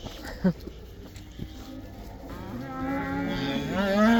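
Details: Cattle in the Netherlands going back into the pasture for the 'cow dance'. Mostly background noise at first, then a moo builds and grows louder toward the end.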